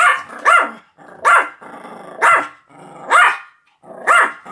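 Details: Pomeranian giving five loud, rising-falling barks at nearly one-second intervals, with a low growl filling the gaps between them.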